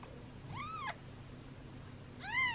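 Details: Newborn rescue kittens, Gipsy and Cream among them, on day three of hand-rearring, losing weight and fed formula every two hours; two clear arched meows, rising then falling, a second apart, the second louder, over a low steady hum.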